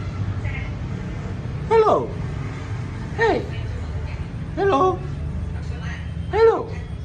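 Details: A pet cat meows four times, spaced about every one and a half seconds. Each meow is short and arched, rising then falling, over a steady low rumble of background noise.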